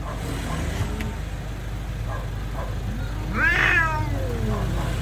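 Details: Street cats in a fight: a low moaning growl followed by one sharp rising yowl near three and a half seconds, over constant road noise.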